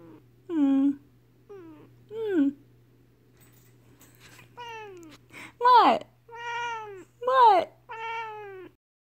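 A Siamese cat gives a run of loud, drawn-out meows with rising and falling pitch.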